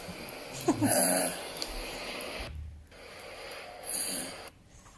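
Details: A sleeping male dog snores indoors: a long, breathy, rasping snore swells and fades over the first two seconds. After a quiet pause, a second shorter snore comes near the end.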